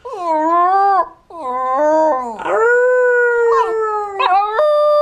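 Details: Singing border terrier gives one long, continuous howl that wavers, briefly breaks near one second, then dips and swoops back up before settling into a slowly falling held note, ending with a sharp higher yelp.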